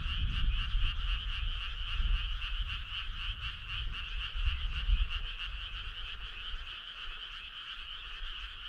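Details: Summer-night frog choir: many overlapping buzzy, pulsed trills forming a constant droning wall of sound, fairly quiet, with soft low rumble underneath that eases off toward the end.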